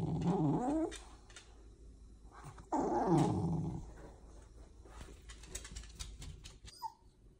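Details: Pet corgi grumbling in disapproval at its owner: two loud, low, rough growl-like complaints about two seconds apart, the second bending downward, with soft shuffling noises between and a short high squeak near the end.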